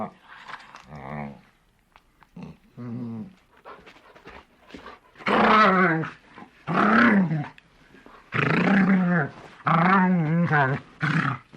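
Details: Large dog growling in a series of low, voiced rumbles that rise and fall in pitch, coming in bursts of one to two seconds with short pauses, several louder, rougher bursts in the second half, indoors.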